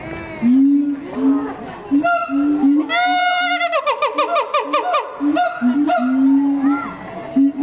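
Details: Captive siamang at Higashiyama Zoo giving its distinctive screaming call: loud, steady low hoots give way to a fast run of rising, whooping notes in the middle, then drawn-out hoots again.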